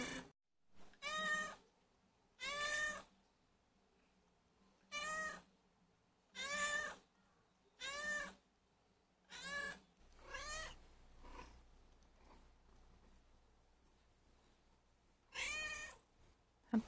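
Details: Hungry former stray house cat named Ppoyang meowing while leading its owner to the feeding spot; harmonic meows with a falling then rising pitch, about eight calls with irregular gaps of one to three seconds, in a quiet indoor room.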